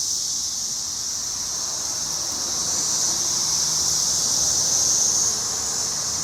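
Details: Brood X periodical cicadas filling a tree in Cincinnati, June 2021: a dense, steady high-pitched whirring chorus that swells slightly in the middle, with faint low traffic rumble beneath.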